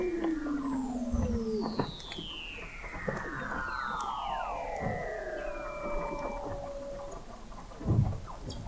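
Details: Recorded November 2017 under the sea ice of McMurdo Sound, Antarctica, at the McMurdo Oceanographic Observatory 21 m below: Weddell seals produce several long gliding whistles descending from high to mid pitch, overlapping, with a brief low thump near the end.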